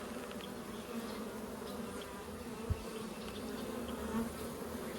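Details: Western honey bee swarm that moved into a baited swarm trap in a deer stand a few weeks after baiting, with many bees and a queen inside; dense steady low buzzing hum, with one brief knock.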